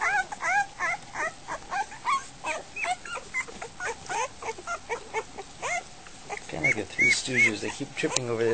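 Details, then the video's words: Goldendoodle puppies, just over a week old, heading for food; quick run of short squeaky whimpers repeating nearly three per second, then a person talking over soft whines near the end. "Goldendoodle puppies - dinner time"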